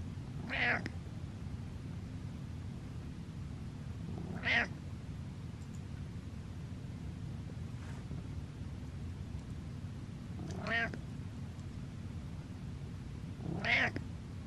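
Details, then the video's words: A domestic cat stares and meows: four drawn-out meows spaced several seconds apart, each rising then falling, heard against a steady low background hum. "Stare and Meows"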